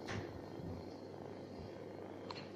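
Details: Stray cat living on the street purring, a low steady rumble held throughout, with a faint soft click near the end.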